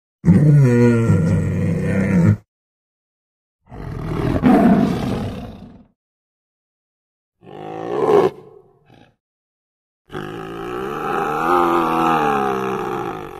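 A tiger growls in four deep, rasping bursts separated by brief silences.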